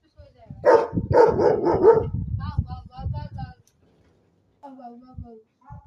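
A German Shepherd gives three loud, deep barks in quick succession, followed by a human voice.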